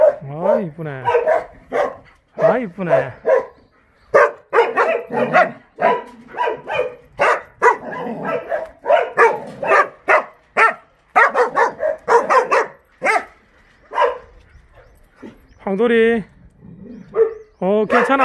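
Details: Jindo dogs in the kennels of the Jindo Dog Theme Park in Jindo County, barking in a rapid, overlapping chorus of sharp, harmonic barks and yelps with almost no pauses over eighteen seconds.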